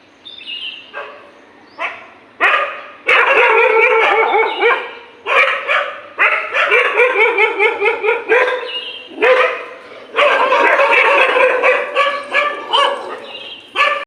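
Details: Several dogs fight in the morning with frantic, overlapping barking and yelping. Loud bursts of rapid, high-pitched barks last one to three seconds and are broken by short pauses, continuing throughout.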